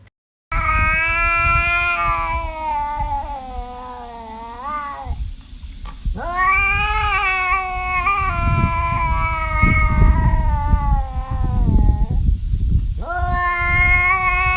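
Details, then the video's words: Domestic cat yowling loudly in long, drawn-out wails with a strong harmonic tone, each bending up and down, three main stretches over about fourteen seconds, with low rumbling noise underneath. "Cats talking"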